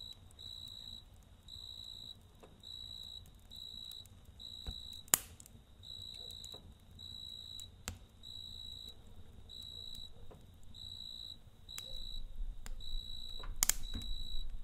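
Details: At night by a campfire, a cricket chirps in a long run of evenly spaced shrill bursts, roughly one every second, while the fire pops sharply now and then and low crackling rumbles beneath.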